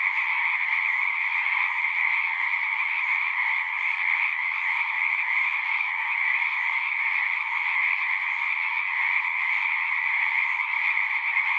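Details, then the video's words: Chorus of many frogs at a pasture pond, captured with a Zoom 6 recorder: continuous shrill trilling from countless callers blends into one even, droning texture that never breaks. "Frogs singing"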